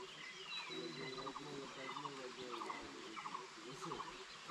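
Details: Frogs give short pulsed calls in rapid repeated bursts at sunrise in a quiet hill spot near Thaan Kowain Waterfall, Alikadam, Bandarban, Bangladesh, with a man's voice and faint bird notes behind.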